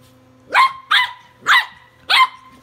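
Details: Walter, a tri-color Welsh Corgi puppy, barking while battling a Sonicare toothbrush; four sharp, high puppy barks spaced about half a second apart, with a steady electric hum underneath and a voice urging him on.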